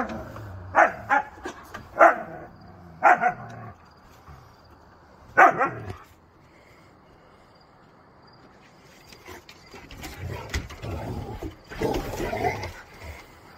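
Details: Pet Siberian Huskies in rough play: five or six sharp, loud barks come in quick pairs over the first six seconds, then a lull, then scuffling, muffled growls and grumbling noises toward the end.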